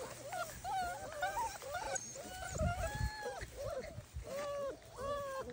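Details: Bernese Mountain Dog puppies, several together: a chorus of short, high, whiny yelps and drawn-out whimpers, some arching up and down, overlapping constantly, with a person's voice and light rustling underneath.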